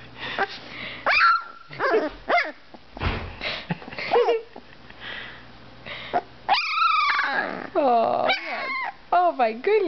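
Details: A two-week-old Dalmatian puppy tries out its voice indoors: a string of high squeaky yelps, whimpers and rising-falling whines, then a long wavering cry near the end, mixed with a woman's laughter and chatter.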